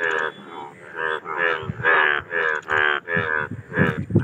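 Indian bullfrogs give loud, nasal, lowing croaks in rapid overlapping bursts, a mating chorus.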